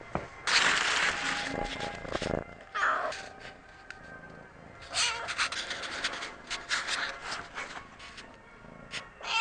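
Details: A domestic cat meows several times in a row. The calls are drawn-out and tonal with clear harmonics, and some come in short bursts. They are mixed with broadband rustling noise between the calls.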